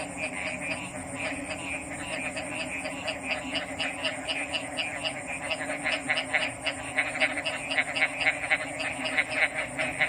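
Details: Frogs calling in a dense chorus: rapid, rattling pulsed croaks overlapping throughout, growing louder and busier toward the end, over a steady high-pitched hiss in the background.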